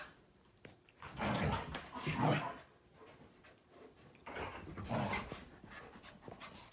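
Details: Three play-fighting dogs, a Malinois, Akita and Corgi, during morning playtime; deep rumbling growls in two long bursts with heavy breathing between them.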